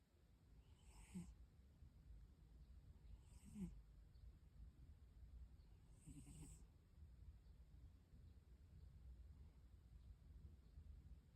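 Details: Rescued domestic cat sleeping deeply and snoring: soft, raspy breaths rise out of a steady low hum about every two and a half seconds, three snores in all, with a faint high whine throughout.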